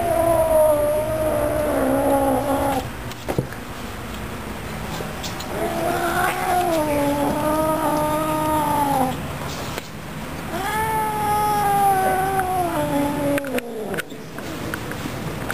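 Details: Pet cat, angry while its green bean is being taken away, gives three long, drawn-out wavering yowls of several seconds each, pitch sagging at the ends, with short handling noises in the gaps.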